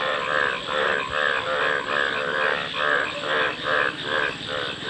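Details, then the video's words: Frog croaks come in a rolling chorus, each grating, buzzy note following about every half second in regular waves, over a constant faint hiss. "Frog Calls | ব্যাঙের ডাক"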